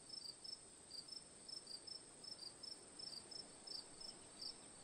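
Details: Crickets giving quick, high, ticking chirps in small bursts, roughly eighty per minute, irregularly spaced above a quiet continuous hiss.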